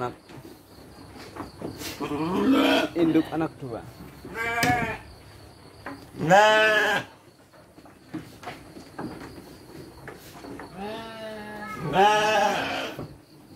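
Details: Sheep on a livestock farm fed dry feed with children: loud quavering bleats at intervals, including a strong one midway and another near the end, between stretches of children's and adults' speech.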